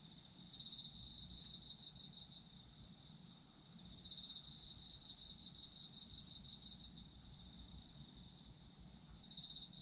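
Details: Chorus of autumn insects meant for sleeping: rhythmic bursts of fast high-pitched chirps repeating every few seconds against an unbroken shrill trill, with faint low background noise.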